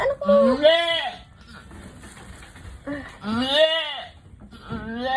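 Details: Female goat labouring to deliver her kid cries out in long, shaky, rising-then-falling bleats, two full calls about three seconds apart and a third starting at the close, with faint background talk.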